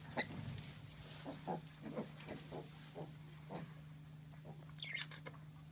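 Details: Pet micro pigs from a UK breeder give short, low, rough grunts in quick succession, about two per second, then a brief higher squeal near the end, over a steady electrical hum.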